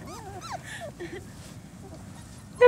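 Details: Litter of four-week-old German Shorthaired Pointer pups outside for the first time: a few thin, bending whines rising and falling in quick succession, then a sudden louder yelp at the end, faint ground noise behind.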